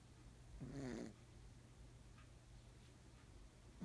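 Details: A black pug snores loudly while asleep indoors: one single rasping, low, breathy snore under a second long, then a quiet background hum.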